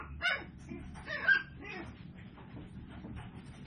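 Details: Tiny seven-week-old Toy Poodle puppies, filmed on 24 April 2022, give two short high yips about a second apart, the second louder, over a steady low background hum.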